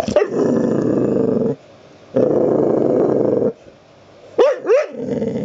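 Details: Abby, a pet dog who wants to be petted, gives long droning growls of about a second and a half each, broken by pauses, then two short rising whine-like yelps near the end.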